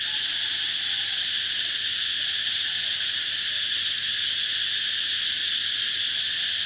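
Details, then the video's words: Steady, piercing cicada buzz, even in loudness and pitch throughout, with no pauses and no other clear sounds. "เสียงจักจั่น Cicada sound"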